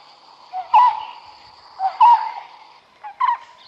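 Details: Smooth-coated otter fishing at the Karnali River, Bardia National Park, Nepal: three short, squeaky chirps about a second apart over a steady high insect hum.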